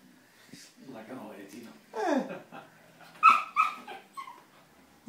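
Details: Nine-month-old Lhasa Apso puppy indoors, getting frisky and overly friendly with a person; a falling whine followed by a few short, high, tonal yips and whimpers in quick succession, with a human voice murmuring in the background.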